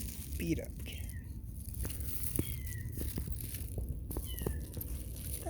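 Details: Cat meows, with a mother cat and her kitten present; short falling mews repeat a few times over about five seconds, mixed with a man's quiet talk and handling noises indoors.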